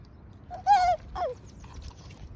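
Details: Doberman Pinscher puppy in San Diego, California, giving two high, tonal whines: a longer steady one that dips at its end, then a shorter one falling in pitch, over quiet low background noise.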